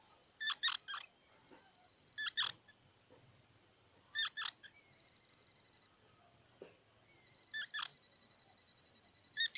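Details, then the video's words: Squirrel giving short harsh, buzzy bursts in pairs and triplets, each followed by faint thin tonal traces, repeated roughly every two seconds in an otherwise quiet setting. "សំលេងដង្ហែន Squirrel 🐿️ Sound"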